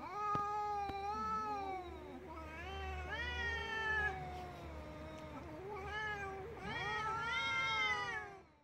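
A domestic cat gives long, wavering, harmonic-rich yowling meows that rise and bend, an angry threat before attacking.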